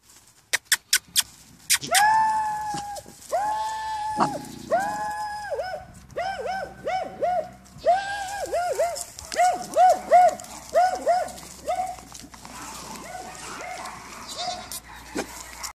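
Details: Litter of broken and rough coat Jack Russell Terrier puppies, high yelping whines in quick bursts, each note arching up then down, several pups overlapping and calling almost without pause, a few sharp clicks at the start.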